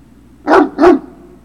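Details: Great Dane puppy at Puppy Hill on 3 June 2019, afternoon: two quick, loud, full barks in close succession, then quiet.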